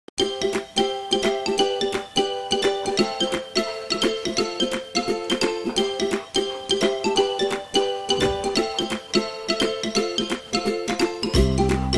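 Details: Bright plucked instrumental music with steady rhythmic strums and chimes plays throughout, with no animal sound heard.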